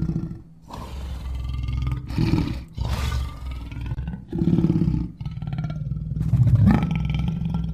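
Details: Lion in July 2016 producing a string of low, coarse grunting roars, uneven in spacing, with the loudest, most forceful roar near the end.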